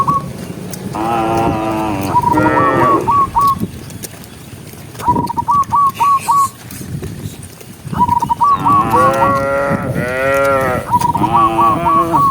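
Cattle lowing in drawn-out, wavering moos, with short repeated human whistles between them.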